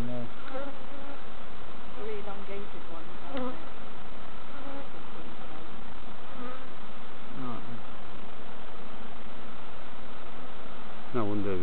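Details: Honey bee colony humming as novice keepers inspect hives at Summerwood Lane Allotments and Community Garden; a continuous buzzing drone dominates, with short bursts of human speech near the start and at the very end.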